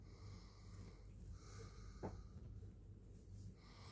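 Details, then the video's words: Domestic cat purring: a soft, continuous low rumble that swells and fades with each breath, roughly two breath cycles per second, in a quiet small room, with one brief faint click midway. "Kucing Mendengkur artinya apa?"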